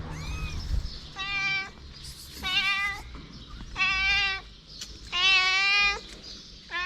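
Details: Stray mother cat with her kittens: four loud, drawn-out meows, each with a wavering, slightly falling pitch and rich harmonics, roughly every one to one and a half seconds, plus a fainter short mew before them, over low background rumble.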